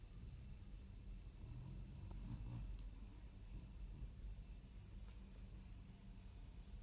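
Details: A male French Bulldog, in a deep sleep in his bed, snores with a low, rumbling, steady drone.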